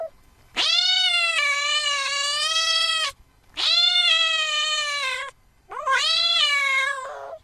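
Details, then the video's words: House cat producing three long, insistent meows, each held over two seconds with a sharp rising start and a slight dip at the end, separated by brief pauses. "Tiếng mèo kêu. The sound of a cat meowing"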